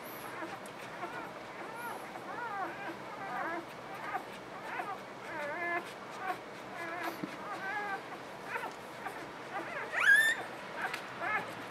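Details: Newborn puppies in a litter squeal and whimper in short, bent, high-pitched cries that rise and fall, overlapping through the clip, with faint human voices and a sharp squeak near the end.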